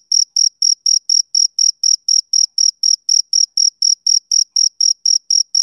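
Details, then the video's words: A male cricket calls on a summer evening, clear, piercing chirps spaced about a quarter second apart, each burst crisp and separated by silence, with no other sounds. "Cricket Chirping Sound Effect"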